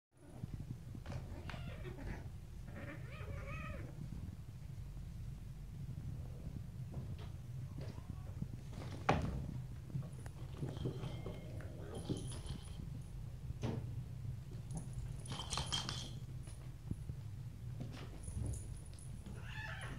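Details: Several stray cats and kittens playing, biting, pouncing and fighting each other; faint short meows and squeaks break out now and then over a steady low hum, with a sharper thump near the middle.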